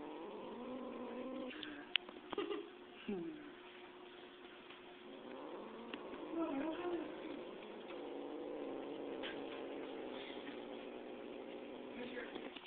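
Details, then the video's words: Angry domestic cat playing with a live mouse: low, drawn-out growling tones with harmonics, held for several seconds at a time, muffled and fairly quiet, with scattered clicks and rustling. "cat plays with live mouse"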